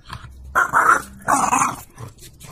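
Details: Playful French Bulldog tugging at a toy, two loud throaty growl-snarls about a second apart, each roughly half a second long, with rustling between.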